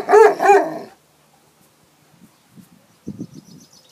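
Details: Leonberger going for a swim: two loud, deep barks in quick succession, then quiet soft splashing and water sounds.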